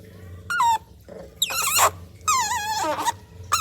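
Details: A baby otter drinking cat's milk gives loud, harsh squeals, some wavering and some noisy and broad, in bursts of about half a second, with quiet gaps and a steady low hum behind.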